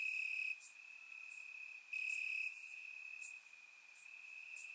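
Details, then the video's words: Warm summer night in Bulgaria with crickets chirping in the grass: a persistent high ringing tone, loud at the start and again near two seconds, then softer, dotted with quick high-pitched ticks. "Cricket Sounds - Crickets Chirping at Night"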